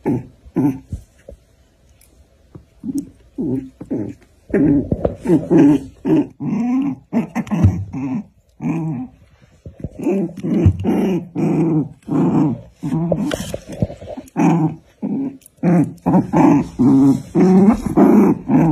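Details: A black dog and a white dog in a fight, shown with short rumbling growls and snarls repeated in quick uneven bursts, roughly every half second, continuing throughout in a small room.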